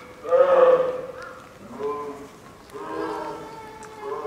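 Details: At Sapporo's Maruyama Zoo, female polar bear cub Lila, nine months old, fusses from apparent hunger during a typhoon storm, 2 October 2015; a sharp wailing cry opens, followed by softer, drawn-out harmonic moans.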